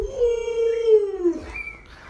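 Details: Alaskan Malamute named Lolo, a pet dog kept indoors, gives a drawn-out howl holding steady before sliding downward, with a brief higher note after; quiet room.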